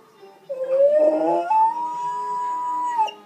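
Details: A male Golden Retriever howls in response to the Jeopardy theme song, a long howl that rises, holds one steady pitch, then drops away.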